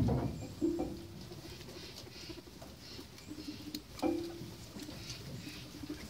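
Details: Pet guinea pigs at breakfast time: two short, low, buzzy rumbling notes, one early and one near the four-second mark, over steady rustling and patter of feeding and a faint background hum.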